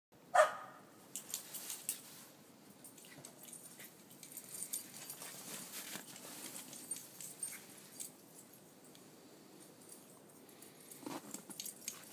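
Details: Shetland dog named Spirit herding and chasing a Corgi named Casey through a snow maze: one sharp, loud bark at the start, a softer bark near the end, with scuffling, panting and rustling movement in snow between.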